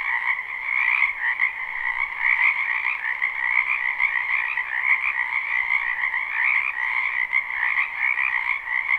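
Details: Spring wetland full of frogs, recorded live with no looping: a thick, unbroken croaking chorus, rapid pulsing trills layered into a higher and a lower band, rising and falling slightly in volume throughout.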